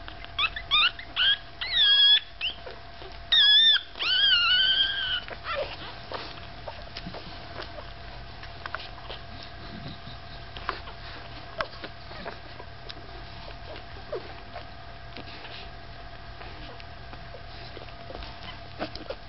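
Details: Five-day-old Staffordshire Bull Terrier puppies give shrill, wavering squeals in quick bursts over the first seconds, some cries long and bending up and down. Quiet rustling and faint ticking movement sounds follow for the rest of the recording.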